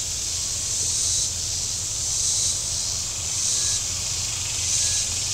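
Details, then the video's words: Shoreline cicadas at Table Rock Lake, southern Missouri, on a hot Saturday, their high, hissing buzz swelling and fading in waves about every second, with a soft low rumble beneath. "Boating Lake Sounds and Cicadas"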